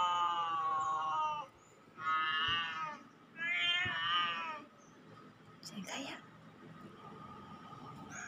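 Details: Meows of a cat played to see whether cats come, with a cat named Nuan listening: three bright, drawn-out meows, then quieter clicks and faint voices.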